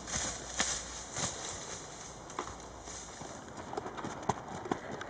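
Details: Registered Tennessee Walking Horse named Charlie, an 11-year-old gelding of 15.1 hands, being ridden outdoors; irregular clip-clop hoofbeats with sharp clicks, steady background hiss and a faint tonal hum.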